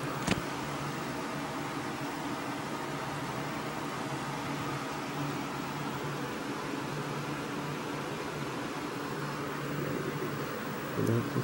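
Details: Steady whirring fan or air-conditioner hum fills a room, with a low motor drone, one sharp click near the start and a brief knock at the end.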